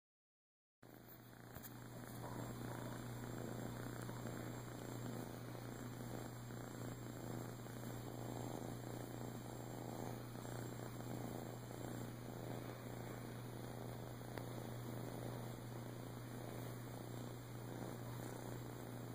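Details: Boo, a male flame tip Siamese rescue cat dumped at a few weeks old with his twin sister, later adopted in Clearwater, Florida, in 2014, purrs in a steady low rumble pulsing about four times a second over a constant electrical hum and high whine.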